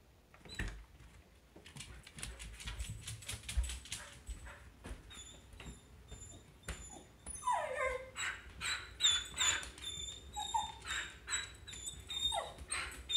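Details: Samoyed at home, eager to play with a dog friend walking by, gives high whistling kettle-like whines that grow more frequent in the second half, after some scuffling and rustling noises and a person's commands.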